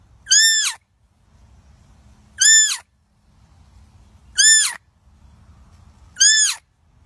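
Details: Frightened deer fawn calling for its mother: loud, high, nasal bleats, each an arched tone about half a second long, repeated four times at roughly two-second intervals, with a faint low rumble in the pauses.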